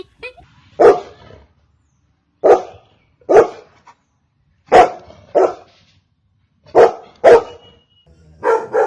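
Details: Single domestic dog barking in sharp, separate woofs, often paired, spaced a second or more apart with quiet between them; part of a showcase of ten dog breeds' barks.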